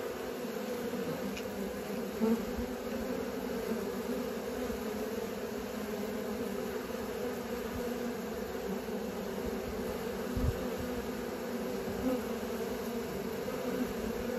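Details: Honey bees learning to fly around a hive, a steady dense droning hum with bands near 250 and 500, continuous throughout with a few faint clicks.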